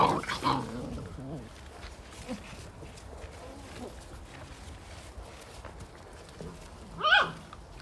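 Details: Several fifty-day-old Belgian Malinois puppies fight over a single toy. Short, rough growling whines open the clip, followed by quiet scuffling. A sharp rising yelp breaks out near the end.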